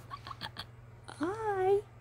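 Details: Romie, a sleepy female Siberian Husky puppy indoors, gives a short wavering whine lasting about half a second, tonal with rich harmonics, after a few brief words from a person close by.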